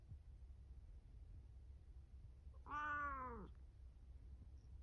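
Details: A domestic pet cat named Momo-chan, indoors with a cat tower, recorded 17 April 2024, gives a single drawn-out meow lasting under a second. The meow is rich in harmonics, rises then falls in pitch, and sits over a quiet low room hum.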